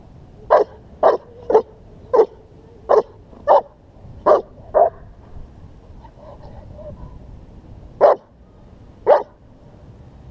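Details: German Shepherd in protection work barking steadily: eight sharp, loud barks about half a second apart, a pause with faint murmuring, then two more spaced barks, against constant low background noise.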